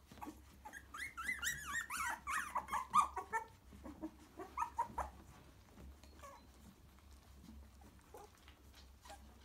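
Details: Three-week-old cockapoo puppies in Norfolk come to their mother and settle in the nest, whimpering and squealing in high, wavering, rising-and-falling cries.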